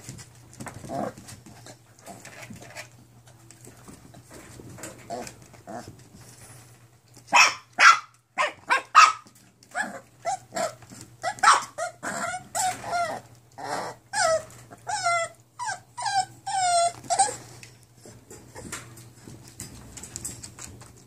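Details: Nine-week-old mixed-breed foster puppies from Cami's litter, recorded 5-9-17. After a quiet start, a run of high, sharp yips and short barks packs the middle stretch and comes in quick irregular bursts, over a steady low hum.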